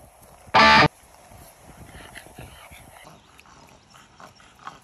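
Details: Ku-chan, a dog nicknamed Ninja, playing at a shallow river, kept from swimming because the water is a little dirty: one loud, sharp bark near the start, then quiet shuffling and splashing with faint voices.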